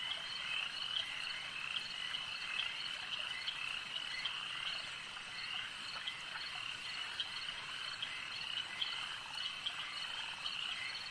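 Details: Dense chorus of frogs at a lake: continuous high trilling with frequent clicking pulses scattered across the recording, steady and even in volume.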